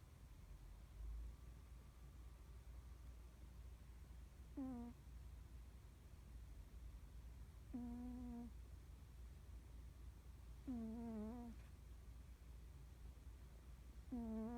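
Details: Norwegian Forest Cat snoring in deep sleep, snores said to grow steadily louder, face muscles twitching as if dreaming; tonal, nasal snores recur about every three seconds, each sliding down in pitch over a low steady indoor hum.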